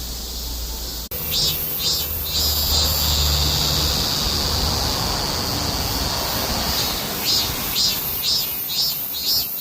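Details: A summer heatwave chorus of cicadas: a sustained piercing buzz, later throbbing in rhythmic pulses roughly twice a second, with a deep low rumble of traffic beneath.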